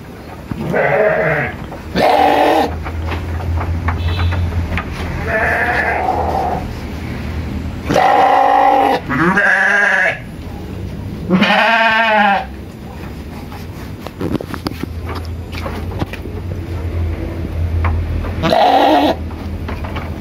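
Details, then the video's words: Tame sheep on a village farm in Indonesia bleating to ask for food: several loud, wavering, harmonic bleats with strong vibrato, some deep and some higher, spaced a few seconds apart over steady low farmyard hum. "Suara Domba Minta Makan"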